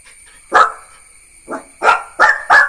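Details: Jack Russell Terrier puppy named Neo barking: five sharp, loud barks in quick succession, two close together then a short gap and three more, with a quiet background.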